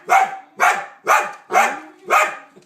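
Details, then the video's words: Dog letting out five strong barks in a steady rhythm, roughly two each second, each one sharp and full, with nothing else clearly heard. "Strange dog sounds"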